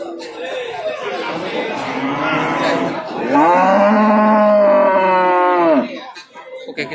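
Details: Cattle at the Babat livestock market in Lamongan, East Java, on Tuesday 29 September 2020: after a stretch of market chatter, one long, steady, low moo swells up and holds for about two and a half seconds before fading.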